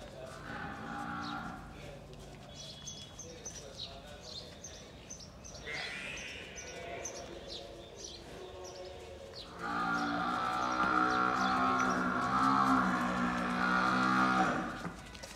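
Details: Murrah buffalo, a second-calver giving 15 kg of milk, at a dairy farm in Bhiwani district, Haryana. Low, drawn-out harmonic mooing, with a long sustained call of about five seconds near the end, shorter lows earlier, and a man speaking.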